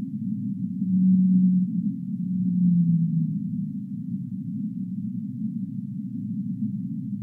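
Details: Whale calls: two deep, sustained moans in succession, the later one falling slowly in pitch, followed by several seconds of dense, low rumbling background noise with no clear calls.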